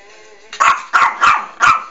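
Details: A pet dog barks while asking to play a game again for food: four sharp, loud barks about a third of a second apart, with harmonics stacked through the midrange, followed by a person laughing.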